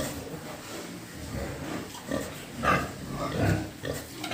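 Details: Pig farm recording with pigs grunting in loose, uneven bursts about once a second, one brief higher squeal near the middle, over a constant low rumble.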